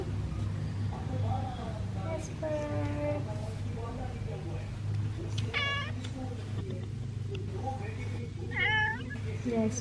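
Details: Jasper, a Persian cat, ignoring its owner: a few short, rising meows, one clearer drawn-out cry near the middle and another toward the end, over a steady low hum with soft human speech.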